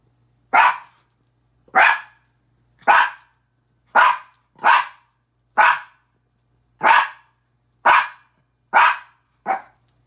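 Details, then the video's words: Pet min pin Petey yapping at his own reflection in the mirror, a steady run of ten sharp, bright barks spaced roughly one second apart over a faint low electrical hum. "Minature Pinscher barking"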